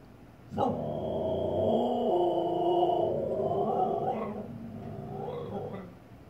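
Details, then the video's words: Indoors, a female Siberian Husky barks at herself reflected in the fireplace: a sudden onset into a sustained, rich, moaning howl of about three seconds, wavering slightly, then two shorter, softer yodelling sounds. "Husky barking at herself in the fireplace.."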